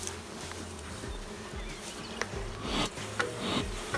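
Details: Queenless honey bee colony with drone-laying workers: continuous low humming buzz from the hive with wavering tones, overlaid by irregular clicks and rustling from handling.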